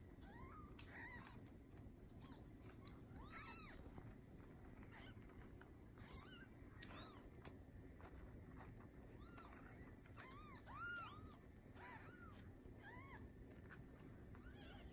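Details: Newborn Bengal kittens from a litter of seven, born to a registered Bengal queen on the morning of 15 July 2019, giving faint high arched mews scattered irregularly through steady low background noise.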